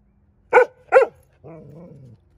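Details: On a deck, a Golden Retriever barks after spotting an airplane in the sky: two sharp, clipped barks, then a drawn-out, lower grumbling vocalization.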